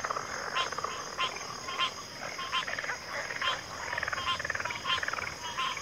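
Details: Frogs in a backwater chorus: rhythmic croaks repeated about every half second over a buzzing mass of other callers, accompanied by an unbroken high hiss.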